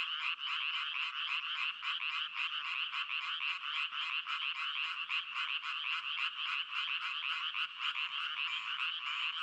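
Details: Continuous frog chorus: rapid, buzzy croaks stacked on top of one another, a relentless pulsing rattle that holds the same bright pitch band for the whole stretch.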